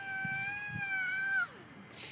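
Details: Angry neighbour cat stopping by for a snack gives one long, steady, harmonic-rich yowl of about a second and a half, ending in a falling slide; a man's voice nearby.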